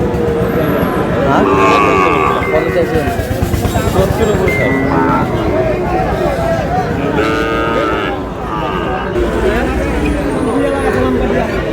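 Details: Sahiwal bulls and heifer calves at a cattle market bought by a Barisal farmer, Bangladesh; several drawn-out lowing moos with rich harmonics rise over constant crowd chatter, bargaining voices and vehicle noise.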